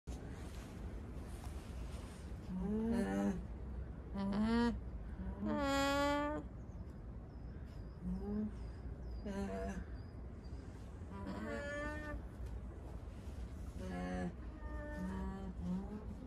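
Tonal, nasal hums of an alpaca come in short bursts, a few swelling louder and bending upward in pitch. A low background rumble runs beneath the calls throughout.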